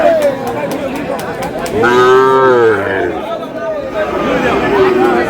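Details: Sahiwal bull calf at a cattle market in Kurigram, Bangladesh, giving a loud harmonic moo of about a second, rising then falling, with fainter lowing after it; people haggling over prices and crowd chatter around.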